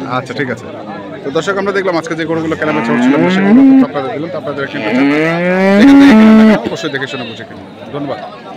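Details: Crossbred bulls for farming at the Saturday cattle market in Kaharol, Dinajpur, Bangladesh, 5 January 2025: two drawn-out, rising, harmonic moos around the third and sixth seconds, over men bargaining and general market chatter.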